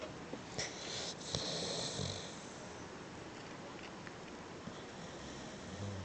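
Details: Asleep beagle giving one soft, wheezy snore in the first two seconds, then only faint breathing and quiet room noise.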